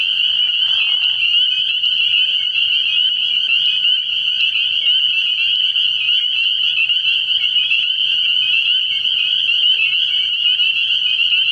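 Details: Dense chorus of spring peepers from a night frog pond in early spring, a steady high shrill ringing made of many overlapping peeps, with a brief lower rasp in the first second.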